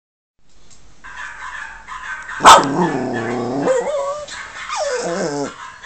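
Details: A female Yorkshire Terrier "answers" other dogs in YouTube videos playing on a monitor, with one sharp bark and then a string of higher, wavering whines and yelps.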